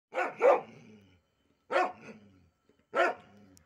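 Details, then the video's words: Pet pit bull, one of a pair of calm-natured dogs, barking indoors: three loud, broad barks, the first a quick double, spaced about a second and a half apart with soft tails after each. "my pitbull dog"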